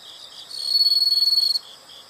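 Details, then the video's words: Insect sound from a nature recording: one loud high trill lasting about a second, pulsing rapidly, rising out of and fading back into soft steady chirping. "the sound of insects"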